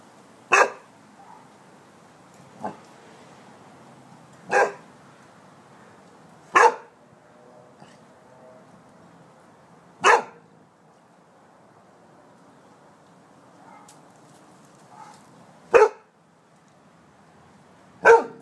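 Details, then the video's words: Rhodesian Ridgeback dog barking on command: single sharp, short barks spaced irregularly, about seven over the stretch, some a few seconds apart, with quiet room background between them. "Rhodesian Ridgeback Barking"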